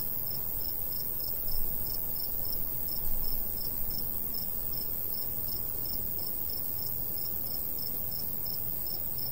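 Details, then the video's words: Summer countryside crickets in a golden wheat field. A light breeze blows. High pulsed chirps come at a fairly even pace over a constant shrill background trill. Low wind noise is steady, with two brief gusts early on. "Countryside/cricket sounds"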